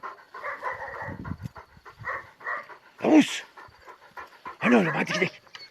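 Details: Purebred Kangal of the panter wolf-hunting line, reacting to a wolf: steady breathy panting, with a man calling and talking over it in two louder voiced bursts.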